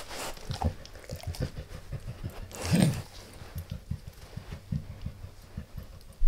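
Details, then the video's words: Max, a pet dog, gnawing a beef rib indoors: soft irregular low thuds and gnawing knocks with a few wetter clicks, one louder bite near the middle, and a sharp knock at the very end. "Max Eats | Beef Rib | ASMR DOG EATING"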